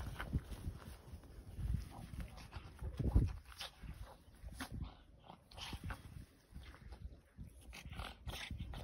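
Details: Boston Terrier on a day it finds too hot at 18 degrees, April 2024, pants in low, breathy, snorting bursts to cool itself down.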